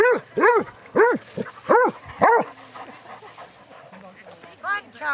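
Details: Walking pack of 22 Basset Hounds at Belwade Farm, Dess, Aboyne, Scotland, 2 October 2016: loud ringing baying barks repeated about twice a second, then quieter yips and a final bay, with human voices nearby.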